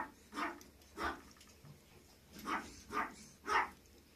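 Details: Female Maltese puppy from a breeder sales listing gives five short, sharp yapping barks across four seconds, a pair, a pause, then three in quick succession, each a bright broadband burst with quiet between.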